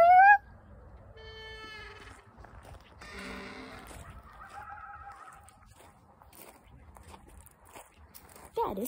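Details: Coyote calls in the Grand Canyon: a sharp rising yelp, fainter wavering howls, then a falling yelp.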